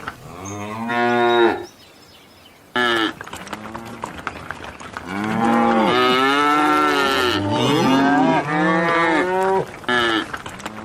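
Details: Several cows in a field moo in long, rich, overlapping bellows with wavering, rising and falling tones.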